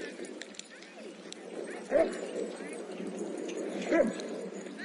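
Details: Dog at a busy dog park giving two short, loud barks about two seconds apart over a steady murmur of people talking nearby.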